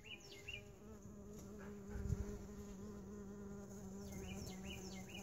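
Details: A constant low buzz comes from mason bees in a lawn mower bagger, swelling slightly midway, while bird chirps sound at the start and end.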